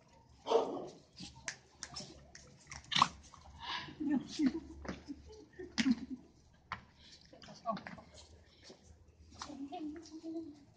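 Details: Several pet Cavalier King Charles Spaniels playing at home give short, sharp barks and yips at irregular intervals, mixed with low growling and whining, while people talk and laugh nearby.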